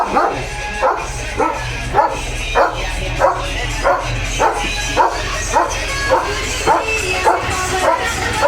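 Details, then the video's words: Leo, a German Shepherd that stands guard at the house gate day and night, barks steadily about every half second, a rhythmic series of sharp woofs over a continuous music bed. "दिवस-रात्र गेटसमोर उभ राहून Protect करतो Leo The German Shepherd | घराचा खरा रक्षक"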